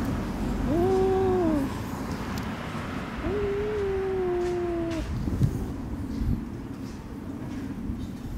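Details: Friendly female white-and-tabby cat on a lap, threatening a disliked orange tabby cat that appeared while she was being petted; two low drawn-out moaning growls, rising then falling, over a steady background rumble.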